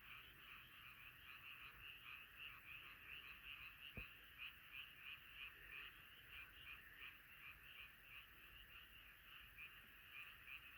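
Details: Frogs gathered in a nighttime choir; rapid repeated croaks roughly three per second over a constant chorus background, with a single brief knock near the middle.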